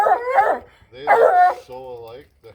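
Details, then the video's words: Excited baying from a female Bluetick Coonhound heading home to a family that already owns her brother. Two short, harmonic bays are followed by a woman speaking. "Baying Bluetick Coonhound"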